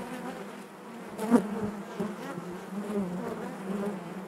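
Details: Inside a honey bee hive, a continuous low humming drone of many bees, fairly even in volume, with one sharp louder buzz as a bee passes near.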